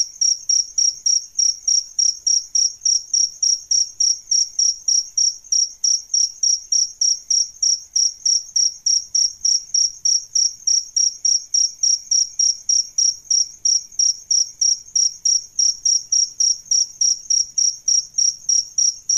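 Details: Adult crickets, male and female, offered as a song tutor for cage birds. They produce a continuous series of high, piercing chirps, slightly over three per second, steady and unbroken throughout.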